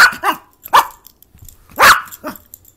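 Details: Playful Yorkshire Terrier giving two sharp, high barks about a second apart while its owner talks to it in a quiet room.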